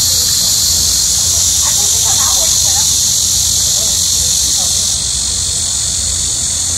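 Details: Loud cicada chorus of midsummer during a heat wave, a constant shrill, hissing buzz that drops slightly in strength near the end, with a faint voice murmuring briefly underneath.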